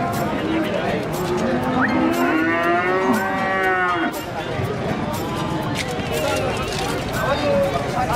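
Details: Limousin feeder cattle with a defective leg, lowing in a drawn-out harmonic moo midway through, against a busy background of murmuring voices, clattering and general crowd noise.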